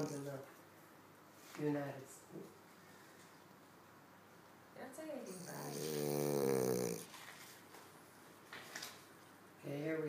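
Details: Kali, a dog snoring from joy, lets out one long, rasping snore of about a second and a half indoors, between short bursts of people talking in a small room.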